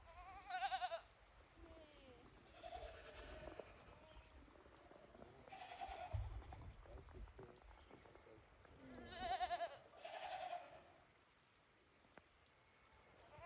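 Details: Goats at Yoshigake Farm, a handmade goat farm, out on snow after heavy snowfall on 28 December 2023, walking timidly on their first outing in a while; several wavering, quavering bleats come in bursts, two close pairs separated by quieter stretches.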